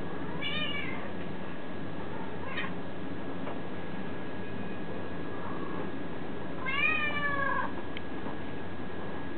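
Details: Domestic cat meowing several times at uneven intervals, each call rising then falling, with longer cries near the start and end, against a constant low hum.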